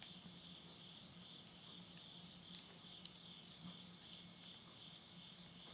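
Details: Insects calling at midnight at the end of summer in the countryside of Yurihama, Tottori, Japan, September 2020: a steady, shrill high-pitched trilling drone in two close bands, with sharp crackles of wood burning in a stove and a low hum.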